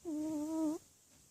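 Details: One whistling snore from a sleeping house cat: a clear, steady tone of about three quarters of a second that swells slightly in the middle and ends abruptly, with a quiet room behind it.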